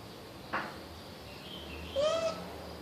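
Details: Toffi, a pet female Russian Blue cat, trying to get her toy mouse: one short meow, slightly rising, lasting about a third of a second near the end, after a soft knock, in an otherwise quiet room.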